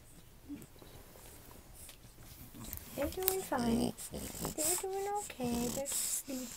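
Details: Newborn French Bulldog puppies, the litter of Anais and Hobbit born October 29, 2011, indoors: after a quiet start, short high squeaks and whines with bright harmonic bends come in bursts, rising and falling, some overlapping, with soft rustling between.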